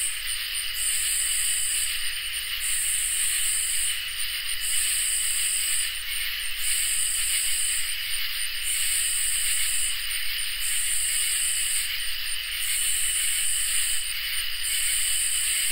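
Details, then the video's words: Crickets and katydids in a summer night chorus: layered high continuous trills with sizzling top-register buzzes pulsing about every two seconds, a regular rhythm holding steady across the whole stretch. "Crickets and Katydids in Summer | Ambient Night Chorus"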